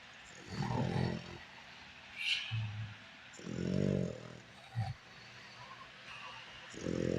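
A French Bulldog snores in low, rumbling bursts, each breath rasping for about a second.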